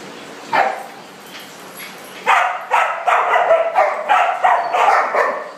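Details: Playing dogs in an indoor party room: one lone bark, then a quiet gap, followed by a fast, steady string of about ten clipped, high barks.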